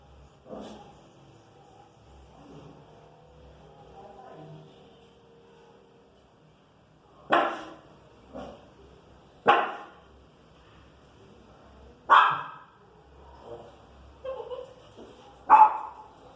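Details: Pinscher bothered by noise outside in the street, a faint early bark and low murmuring, then a series of about six short, sharp, spaced barks in the second half.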